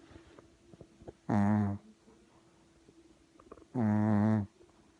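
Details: Puppy snoring indoors: two loud, low, buzzy snores about two and a half seconds apart, each under a second long, with quiet breathing between.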